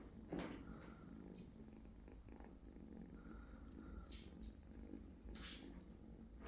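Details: British Shorthair kittens purring in a low, steady, continuous rumble, with soft rustling and a brief faint tonal squeak partway through.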